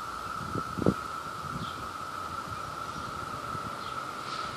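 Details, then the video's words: Brood II cicadas in New Jersey at peak, with a male courting a female amid a mating chorus: constant even droning hum, two low knocks or handling bumps near the start, and a few faint high chirps later. "Male Cicada Courts Female Cicada"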